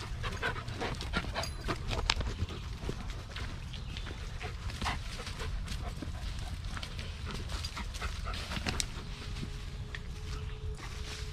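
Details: A four-year-old Blue Bay Shepherd on an off-leash hike of over an hour through a wilderness park with a young Lycan Shepherd. Rapid, breathy huffs of panting over crunching footsteps and rustling. A faint steady tone is heard near the end.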